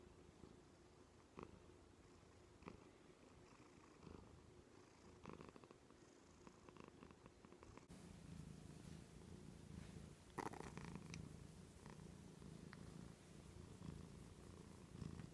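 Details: Female house cat Joan purring on the arm of a couch; a low, throbbing purr that grows fuller and louder in the second half, with a few light knocks and rustles.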